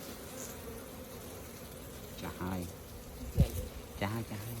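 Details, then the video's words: Honey bees at hives opened for honey harvesting, giving a steady low droning hum throughout, with a few short bursts of people talking close by over the buzzing. "See beautiful honey in bee hives"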